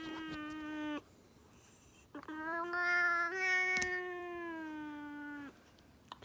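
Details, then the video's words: A cat protesting during a nail trim with a pig-like noise: one short drawn cry, then after a pause a longer wavering one of about three seconds, both tonal and harmonic. Faint clicks and handling noise come from indoors. "the cat makes a pig noise , while getting a trim !"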